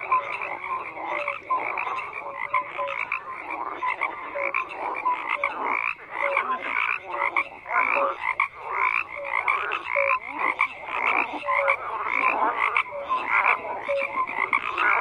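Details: Many frogs croaking together, a thick layer of buzzy pulsed calls punctuated by short piping notes roughly once a second, the chorus never letting up.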